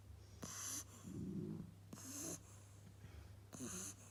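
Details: Eight-week-old Beagle puppy asleep, snoring: soft hissing breaths about every one and a half seconds, with a low rumbling snore between the first two breaths, over a steady faint hum.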